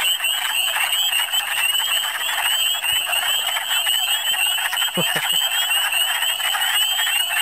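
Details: Spring wood frog chorus from Michigan, many frogs at once. Constant crowded clucking croaks mixed with a steady band of high, rising peeps. A brief human voice cuts in around the fifth second.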